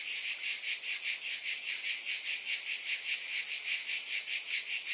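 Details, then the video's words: Cicadas buzzing loudly in unison, a piercing hiss beating in clear even pulses around two and a half per second and holding steady throughout. "Scintillating Cicadas 1 hour White Noise"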